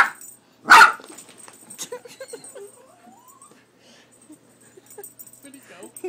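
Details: A dog called Leo, scared of the cat picture on a cat food bag, gives one loud, abrupt bark, followed by quieter rustling and a faint rising tone.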